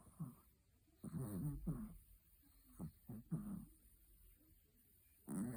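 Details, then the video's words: Chihuahua Betty asleep, giving low, raspy snoring breaths and brief snorts at irregular intervals, with quiet gaps between them. "Как храпит Чихуахуа Бетти"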